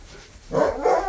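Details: A male husky gives a short two-part whining vocalization: a bright mid-pitched tone that swells, dips briefly, then carries on as a second sustained note, with faint room noise behind.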